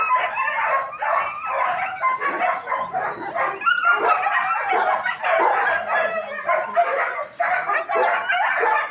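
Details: At a German Shepherd training academy, many dogs bark without pause, layered sharp barks and higher yips piling over one another for nine seconds.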